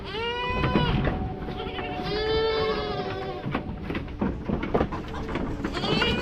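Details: Free-ranging young goat kids in Tamil Nadu bleat repeatedly as they run after the keeper, high wavering overlapping cries with the man's voice between them, while the adult goats stand further off.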